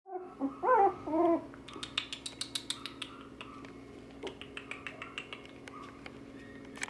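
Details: Wire Fox Terrier siblings at a pet shop in Nara, Japan, giving short whining yelps that rise and fall, followed by a run of sharp clicks and taps repeated a couple of times a second indoors.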